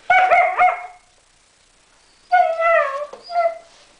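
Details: German Shepherd puppies curious about a strange fluffy toy, two bursts of high, drawn-out whining yelps, the first near the start and the second after a quiet gap of over a second.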